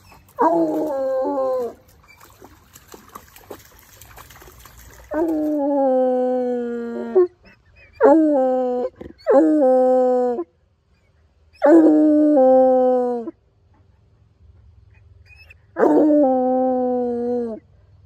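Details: Coonhound on a walk, howling as it follows a scent: six loud sustained bays in quick succession, each one to two seconds long with strong harmonics, separated by short pauses and some background rustling.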